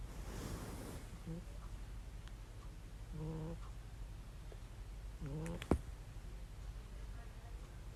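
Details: Domestic cat snoring heavily while asleep and looking content: a low, steady rumble runs throughout, with short higher voiced sounds near the middle and end and a sharp click shortly before the close.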